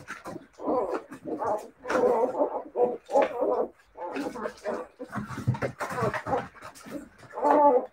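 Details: Siberian Husky puppies giving short, tonal whines and yelping cries in quick bursts, some rising and falling, with brief pauses between them and faint human speech mixed in.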